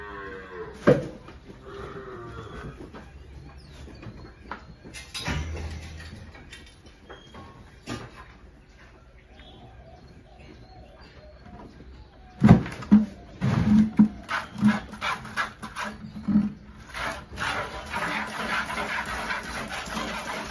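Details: Holstein cows with calves at milking on a farm in El Salvador; after long stretches of knocking and clatter, a cluster of short, low, steady moos comes in quick succession, mixed with banging and rustling noises.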